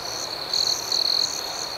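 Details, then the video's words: Night chorus of crickets: a continuous high-pitched ringing trill with two louder, buzzy bursts from a nearer insect over a background of rhythmic, pulsing chirps. "Soothing Cricket Sounds"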